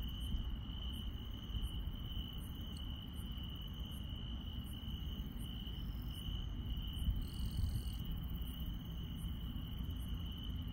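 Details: Chirping insects at night in the countryside: one high, even trill runs throughout, with regular faint very high pulses about every half second and a brief buzzy burst near the end, over a low rumble.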